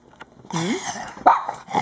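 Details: Cairn Terrier, a dark grey female pet, begging for toast: a rising-falling whine with strong harmonics, then a brief sharper yelp near the end; a woman speaks to the dog before and after.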